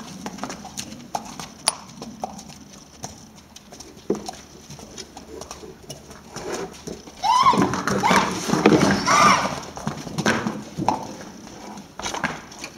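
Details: Ferdinand, a mule, spends his first hours with the whole herd in an open stable during wet weather as the newcomer. Hooves clatter and shuffle, then a loud, wavering whinnying call rises and falls over about two seconds before hoof noise resumes.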